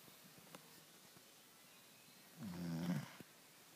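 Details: Lola, a Labrador Retriever, sleeping during a late-afternoon nap indoors: a single low, rough snore lasting under a second, rising out of a quiet room, with faint soft clicks before it.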